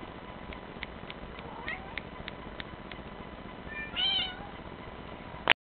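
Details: Male lynx point marble Bengal cat uttering one short, rising-then-falling meow near the end, preceded by a series of soft regular clicks and a faint earlier mew, ending in a sharp knock.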